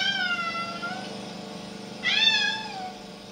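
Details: A 7-month-old white, blue-eyed Persian kitten in a Denver hotel cries non-stop while its owner is away, giving two high, wavering, downward-sliding, puppy-like cries as someone reassures him.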